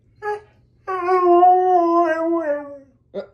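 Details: A Siberian Husky indoors gives a short yelp, then a sustained level howl lasting about two seconds that falls and fades at the end, followed by a brief clipped yelp.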